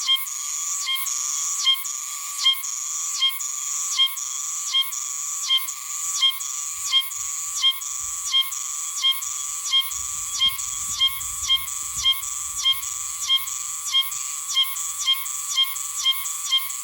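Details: Okinawan Oshima cicada (Meimuna oshimensis), hidden high in a tree, sings a steady run of loud shrill metallic phrases, each about 0.8 seconds long and closing with a crisp accent, about twenty in a row; faint low rumble midway.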